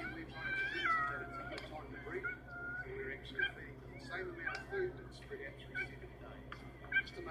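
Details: Cheetahs meowing, animals unable to roar like a tiger because of their larynx; high chirping, bird-like mews repeated through the recording, with a person speaking and a steady low hum.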